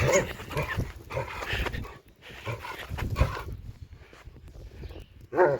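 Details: A female German Shepherd at play, a dog said to want to play around the clock: short harmonic growling bursts open and close the clip, with scuffling and breathing noises between them and a man speaking nearby.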